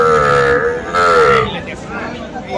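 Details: At Aftabganj cattle market in Dinajpur on 21 February, where Friesian and cross-breed bull calves are traded, a drawn-out, slightly falling moo of about one and a half seconds rises over busy crowd chatter and voices.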